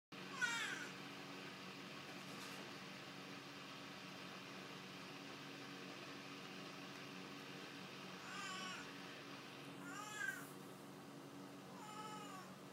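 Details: Ebony Oriental kitten meowing while attacking work boots indoors; several short harmonic mews, one near the start and a cluster from eight to twelve seconds, over steady low background hum.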